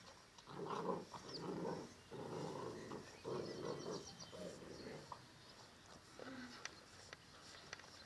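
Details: Ca de Bou and Dogo Canario puppies at play: low, rough growls come in dense bursts about once a second for the first four seconds, then fade to softer grumbles and a short whimper, with light rustling behind.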